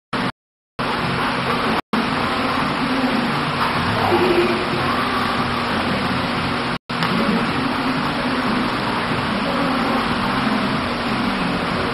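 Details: Loud broadband noise like a running vehicle, broken by brief cuts to silence, with no clear animal sound.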